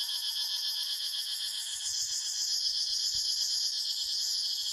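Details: Cicadas in a forest keep up a loud, high, throbbing drone pulsing roughly four times a second; the buzz grows slightly brighter after two seconds, with soft low knocks underneath.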